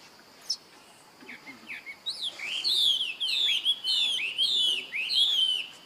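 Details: Young monkey calling to its older brother for help: a run of high, tonal, arching squeals, each sliding down in pitch, repeated roughly every half second and growing louder, over a quiet background.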